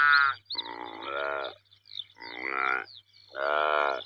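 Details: Saiga antelope calling: harsh, nasal harmonic bleats each about a second long, repeated four times with short pauses, with brief high squeaky notes in the gaps.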